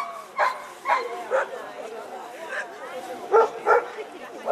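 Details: Chefrem of golden Samurais, an 11-year-old American Staffordshire Terrier, at a German VPG protection dog exhibition: five sharp, loud barks, three in quick succession, then a pause and two more, over a German announcer's amplified voice.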